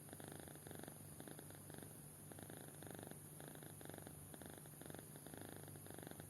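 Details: Sleeping kitten, soundly asleep and snoring: a soft, rhythmic rasping pulsed in bursts roughly every half second, low and steady throughout, with a constant faint electrical hum underneath.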